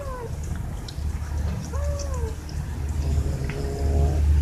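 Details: Pet cats asking for food or attention: a short falling mew, then a longer bending meow, and a faint wavering cry near the end over low background rumble.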